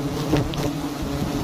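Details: Short, loud, close droning of honey bees at a giant hive hanging in a tree in a palm garden, a steady low hum with no other sounds.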